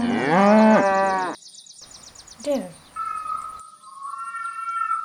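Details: Cow giving a short, loud moo lasting just over a second, followed by quieter sounds and a steady whistled tone.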